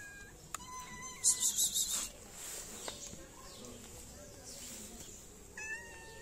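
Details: Hungry stray cats in a Moroccan city meowing for food and attention; several brief, level meows at the start and end, broken up by loud rustling bursts.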